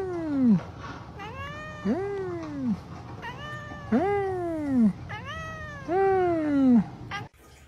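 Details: Domestic cat in a pet compilation giving a series of drawn-out, falling meows, loud ones about every two seconds with softer shorter meows between, over a low steady hum indoors.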